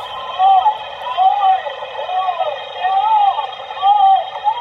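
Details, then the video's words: Humpback whale giving rapid, arching tonal calls that rise and fall about once a second, with the tempo and frequency range of human speech, suspected as an attempt to make human-like sounds. "What you just heard was a humpback sound."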